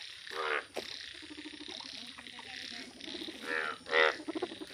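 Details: Rare yellow Indian bullfrogs in the wild give a chorus of nasal, buzzy croaks, several loud bursts standing out over a steady background of pulsed calls from more frogs.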